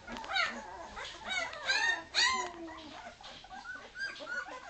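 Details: Two-week-old Leonberger puppies from a 2010 litter, wanting their mother while a man tries to comfort them: high, wavering whines and yelps, some sliding downward, overlapping in bursts with soft background handling noise.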